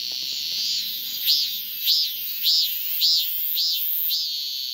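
A male cicada calls for a female with a loud, shrill drone that swells in regular rising-falling pulses.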